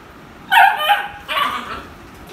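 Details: Beagle barking during play with toys, a vocal, non-aggressive breed: two loud bursts, the first a sharp bark sliding downward, the second a longer, softer yowling bark about a second later, then quiet.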